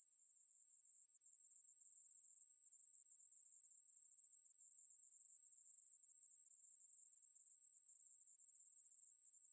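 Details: Ruspolia katydid, National Institute of Biological Resources recording from 2020: a shrill continuous buzz fades in over the first second, then holds a constant high pitch with a slight flickering texture and no background sounds.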